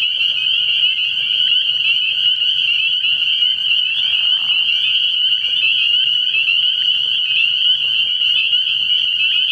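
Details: Many spring peepers calling together from a frog pond at night, early in the year: a loud, unbroken shrill trilling chorus of high peeps layered over a faint low murmur.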